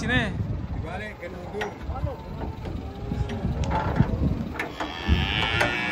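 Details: Huge cattle stepping down off a truck in the morning; short, low moo fragments come through amid clattering, voices and scattered bangs.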